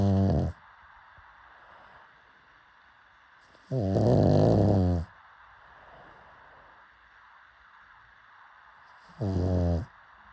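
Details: Snoring pug, asleep: three throaty, vibrating snores, the middle one longest and loudest, separated by several seconds of near silence.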